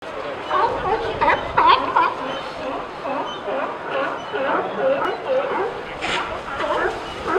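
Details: A crowd of California sea lions at Pier 39 barks together in harsh, overlapping honks that rise and fall, with some sneezing.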